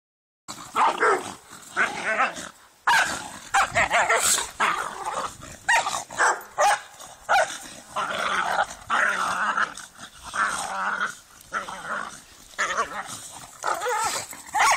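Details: A whippet and a Ridgeback fighting, the larger Ridgeback beaten by the little whippet; harsh snarling growls and rough barks in dense bursts throughout, broken by short pauses.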